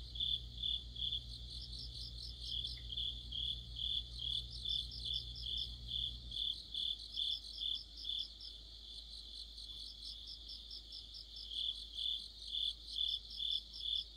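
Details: Crickets and fellow insects sing an autumn chorus near a streetlight. Regular high chirps come roughly twice per second, with bursts of faster, higher pulsing from another insect. A low hum cuts out after about six seconds.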